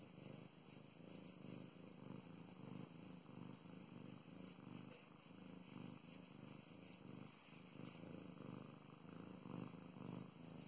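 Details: Continuous low purring from the house cat Mow Mows receiving affection and petting, a buzzing rumble pulsing evenly through inhale and exhale over ten seconds in a quiet room.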